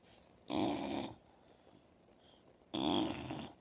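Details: Old English Bulldog snoring while asleep indoors: two loud, rasping, broadband snores about two seconds apart, each lasting roughly half a second, with quiet breathing between them.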